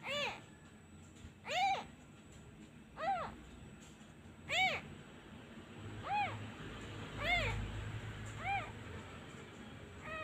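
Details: Kitten left without its mother cries each time a comforting hand is withdrawn, giving a steady run of about eight brief arched mews roughly every 1.5 seconds, with a low rumble of handling noise midway.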